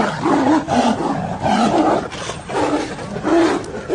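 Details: Two Bengal tigers battle for dominance at Ranthambore National Park, roaring and snarling in deep, rasping bursts.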